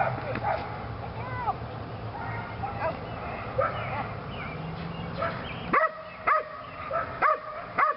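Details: Female Belgian Malinois Lily on leg sleeves during PSA training, her second time. Mixed rustling and faint yips give way to loud, clipped barks spaced about half a second apart near the end.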